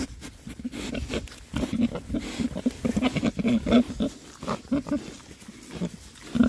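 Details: Rare-breed Oxford Sandy and Black pigs, six boys foraging happily in winter between storms; short low oinks and grunts repeat every half second or so, with rooting and snuffling noises between them.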